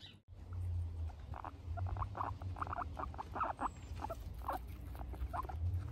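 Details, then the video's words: Guinea pigs at a peaceful snack time give a busy run of short, mid-pitched bursts, clustered and uneven, rising and falling in density over a steady low rumble. "Guinea pigs peaceful snack time compilation 2"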